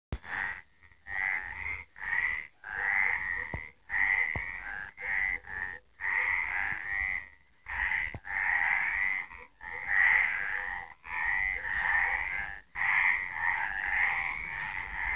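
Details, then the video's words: Frogs calling at night in Villa del Campo, Extremadura: a dense, continuous chorus of raspy, trilling croaks with overlapping voices, broken by several abrupt short silences, with faint clicks and no other clear sounds. "De noche cantan las Ranas"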